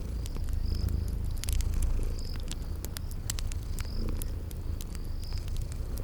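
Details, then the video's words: Sleeping kitties purring in a cozy spring garden scene: a steady low rumbling purr under sharp crackling fireplace pops, with a high chirping insect tone pulsing in short bursts. "Cute Sleeping Purring Kitties"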